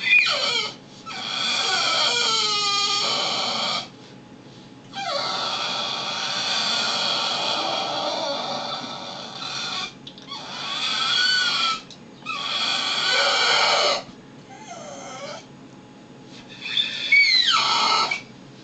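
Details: Brutus, a house dog acting like a baby, gives sliding whimpers and upturned squeals between long bursts of hissing, rustling broadband noise, with brief quiet gaps in between.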